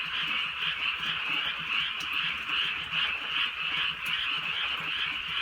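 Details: Frogs calling together in the countryside at night during light drizzle: a dense, steady chorus of rapid pulsing croaks, about two per second, with scattered raindrop ticks over it.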